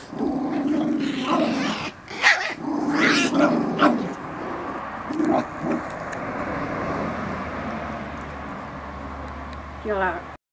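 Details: Seven-week-old Schipperke puppies growl and yip in rough, broken bursts while playing, with the father dog putting them in their place and a person speaking.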